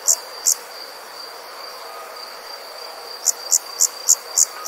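An insect calls at night with brief, very high-pitched buzzy pulses, two at first and then a quicker run of six. A thin, steady tone and soft background hiss sit underneath.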